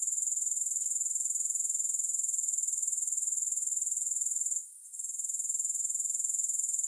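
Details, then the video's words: High, thin grasshopper buzzing with no music, pulsing quickly and evenly, with a brief lull just before the five-second mark. "Grass Hopper Sounds"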